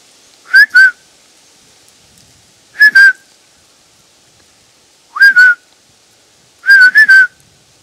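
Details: Roe deer in the woods around Poitiers, three kilometres from Futuroscope, France: four short nasal whistled squeaks, some doubled, each with a breathy onset, spaced about two seconds apart against a quiet forest background.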